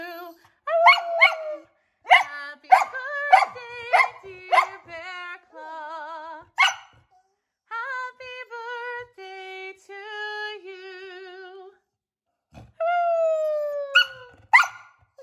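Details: A male corgi turning six howls and yelps along in wavering, drawn-out "arooo" notes while a person sings Happy Birthday; he sings only when vowels are sung, not words or humming.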